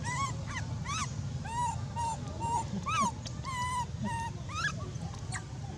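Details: Abandoned monkey crying very loudly: high, wavering whistled cries that rise and fall, repeated about twice a second in a steady run of a dozen or so, over a constant low hum.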